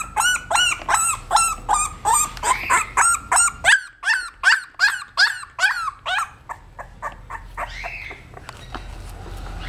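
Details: Female English bulldog puppy, 17 days old, crying in a rapid string of high, arched squeals, about two or three each second. The cries break off briefly near the middle, then resume more weakly.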